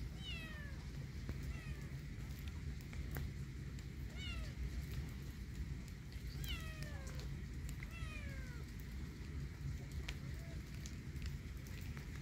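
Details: Kitten walking in a yard in rainy weather, giving a series of about six clear, high meows that slide downward, spaced unevenly over twelve seconds, over a steady low rumble of background noise.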